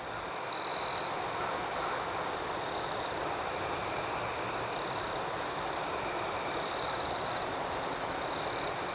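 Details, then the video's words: Crickets chirping at night outdoors: a rhythmic high chorus pulsing near four times a second, broken by two louder, sustained trills, one early and one near the end. "Soothing Cricket Sounds"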